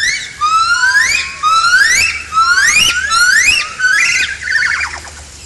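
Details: Yellow-cheeked gibbons singing, starting only around noon on 19 January 2016, with the little one already joining in a bit; rising whistled notes sweep upward one after another, about one per second, quickening and overlapping toward the end.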